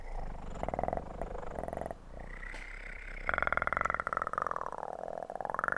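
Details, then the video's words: A kitten purrs into a close microphone for ASMR, the pulsed rumble swelling louder halfway through and carrying a voiced tone that glides down and then rises again at the end. "ASMR kitten purr"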